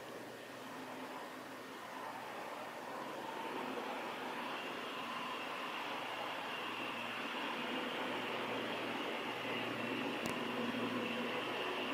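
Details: Only a steady broadband hiss with a low mechanical hum, like distant traffic or a fan, and no clear animal calls.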